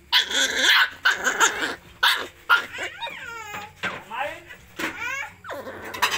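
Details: Puppies being fed give high, wavering whines and yelps that rise and fall in short bursts between loud noisy feeding sounds, with human voices nearby.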